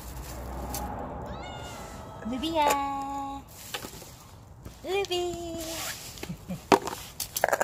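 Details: Ruby, a mischievous stray cat, being called by name and offered tasty food, gives two drawn-out meows, each rising briefly then holding steady for about a second, with short knocks and clicks around them.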